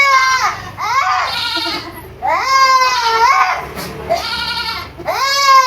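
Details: Baby goats at a farm in Purwokerto, Indonesia, crying out in loud, drawn-out quavering bleats, four long calls close together that bend upward and then sag, almost childlike in tone.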